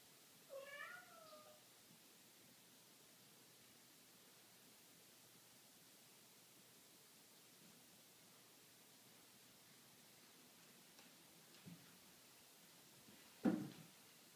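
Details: A male cat meowing for attention indoors: one clear harmonic meow with a rising then falling tone just after the start, then long quiet, faint soft sounds and a short low thump near the end.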